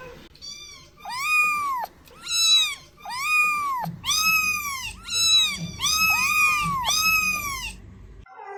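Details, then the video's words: Repeated cat meows used to attract cats: seven arched, rising-then-falling mews, high and kitten-like, roughly one per second, with a faint low hum underneath. "Meows to ATTRACT Cats (Meow Sounds to Attract Cats). Cats Meowing Sound Effects. Kitten Sounds"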